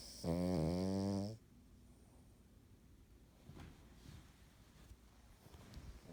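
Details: A single drawn-out, buzzy snore from the Cavalier King Charles Spaniel An while asleep, followed by several seconds of soft breathing and faint rustles.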